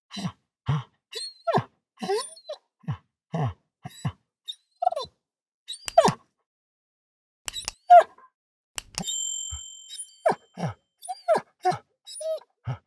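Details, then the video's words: Dog grunting, panting and whining up close, a run of quick low grunts and breathy pants with a few brief high squeaks, plus a couple of sharp knocks and a faint ringing tone near the middle. "A Dog Grunting and Panting"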